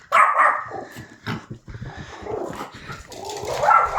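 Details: Pomeranian dog resting on a sofa reacting to a strange sound; a few short, sharp barks and yips in quick succession, with a person's voice and household noise around them.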